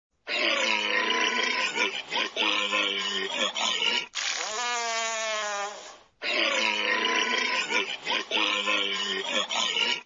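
A walrus gives harsh, rumbling grunts and a long, wavering groan that slowly rises in pitch.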